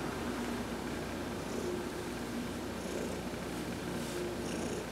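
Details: Continuous low purring from Heidi, a pet cat, during a massage while she sunbathes, November 19, 2020; the rumble stays even and close, with faint high rustles of hands on fur.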